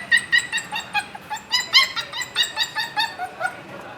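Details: Confined puppy, one of two sisters, Annie and Chichay, with Annie unhappy in the cage; steady string of high-pitched whimpering yips repeating roughly every quarter second.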